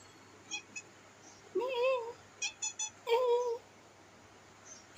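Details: Domestic cat giving two short, wavering meows about a second apart while a person coaxes it with food in Bengali, with small clicks and rustles between the calls.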